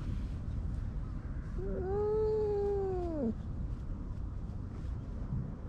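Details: Stray cat under a bench outdoors while being stroked, filmed on a GoPro: one drawn-out, arching meow lasting nearly two seconds, over a steady low rumbling background.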